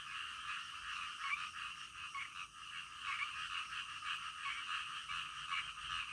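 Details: Night-time frog chorus, a thick, steady wash of overlapping croaking with faint pulsing, many frogs calling at once and no other sounds.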